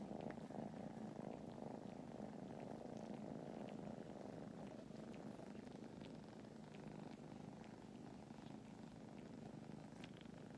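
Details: Kittens from a fostered litter in Huntsville, Alabama, napping with a person. They purr in a steady, low, rumbling drone that continues throughout, with a faint quiet voice at the start.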